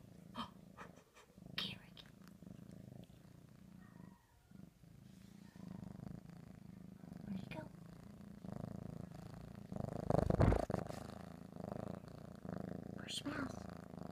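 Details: A cat eating ham, giving a steady low rumbling purr throughout, with chewing noises and a person talking to it.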